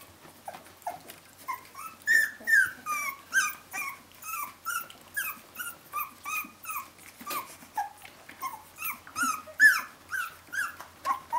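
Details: Seventeen-day-old puppies from Brenda's Jolly Joker litter crying for their mother, loud repeated squealing yelps about two per second, each bending down in pitch, several pups overlapping in a steady insistent chorus.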